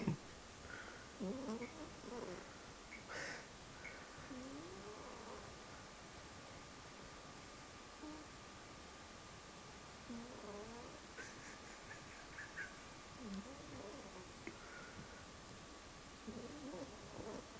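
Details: Pet cat sound asleep, making funny noises while snoring: a low, steady rhythmic breathing rumble beneath soft squeaky murmurs and little rising-and-falling chirps scattered through the sleep, with a faint steady hum in a quiet room.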